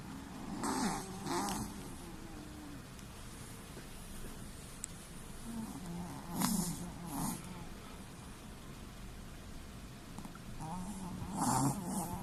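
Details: A sleeping Chihuahua, eyes rolled back to the whites, snores softly: breathy, rasping snorts come in close pairs, a fresh pair every five seconds or so, over a low steady indoor hum.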